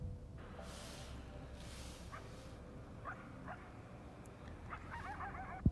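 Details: Coyotes crying on an early Sunday morning walk, distant wavering yips and warbling cries breaking through steady background hiss, with a sharp knock at the very end.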